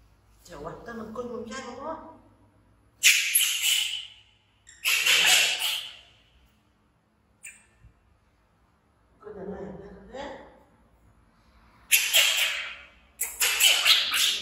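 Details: Baby monkey Bean, an infant taken in from the jungle by villagers, screams to follow his busy mother: piercing, harsh outbursts about two seconds long, separated by quieter, lower, wavering cries and short silences.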